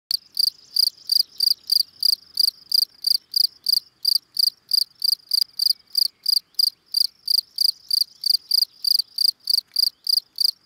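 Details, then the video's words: Field cricket (Gryllus campestris) giving its calling song: shrill, high chirps repeated steadily about three times a second, each a short trilled burst, over an otherwise quiet background. "Feldgrille Gryllus campestris calling song"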